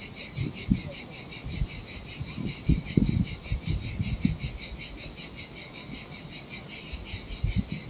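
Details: Cicadas in hot summer weather at a lonely Sardinian beach give a rapid, throbbing high-pitched buzz, while low splashing waves wash over the sand in irregular bursts.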